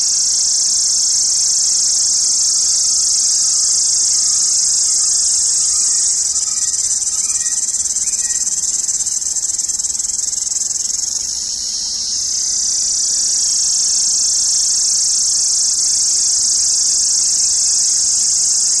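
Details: Indian summer cicadas give a loud, continuous shrill buzz. The high hiss holds steady throughout and dips briefly near the middle before returning at full strength.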